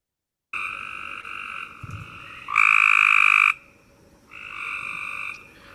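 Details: A Cope's gray treefrog in the Eno River Watershed gives short, fast, buzzy trills of about a second or two each, a much shorter trill than the American toad's.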